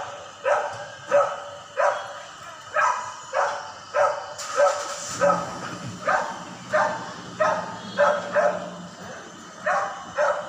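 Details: Neighbouring dogs, which bark daily day and night, give steady, sharp repeated woofs about every second and a half, with a low hum beneath.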